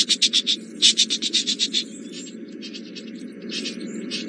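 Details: Alarm shouting of squirrels at Djuma Game Reserve, morning, April 17, 2018, possibly at the young male leopard Hosana stalking nearby. A rapid run of sharp, high clicking notes is followed by softer, scattered chatter over a low hum.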